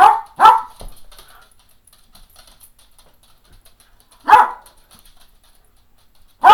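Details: An eleven-and-a-half-year-old Cairn Terrier, wanting playtime, barks sharply: two quick barks together at the start, then a single bark about four seconds later and another at the end, with quiet between.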